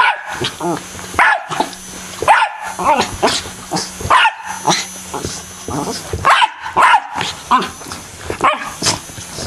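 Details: A household dog barks at an M&M-themed fan, clusters of loud yapping barks separated by short pauses, with a humming fan and faint voices underneath.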